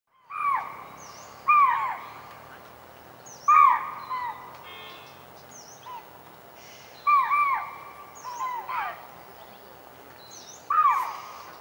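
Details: A chital (spotted deer) in Rajaji National Park gives sharp, high alarm barks at irregular intervals, warning other animals of a tiger coming to hunt.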